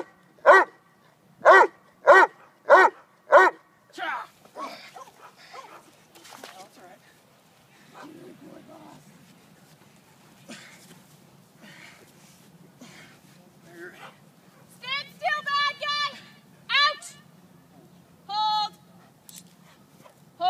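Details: Neapolitan Mastiff named Boss, working on bark and hold and bite work, opens with six loud, evenly spaced barks roughly every 0.6 seconds. Then a quieter stretch with rustling, and later a man's voice and a few more barks.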